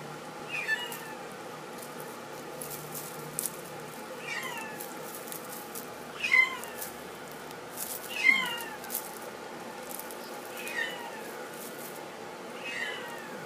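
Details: Male flame point Himalayan kitten meowing indoors: thin, high, bending mews repeated about every two seconds, with a few fainter ones between, over a steady low background hum.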